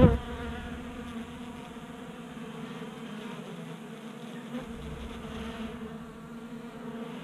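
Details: Honey bees feeding at a 3D printed table-top feeder in a garage in Colorado during a warm January spell, 60 degrees; a dense steady buzzing hum of many bees, low droning bands with a brief louder bump at the start.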